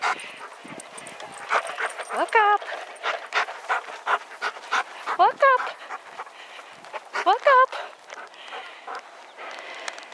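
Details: A Bernese Mountain Dog pulling a cart, trained not to be distracted by other dogs, gives three rising, harmonic whining yelps near 2, 5 and 7.5 seconds, amid rustling, footsteps and a person praising him.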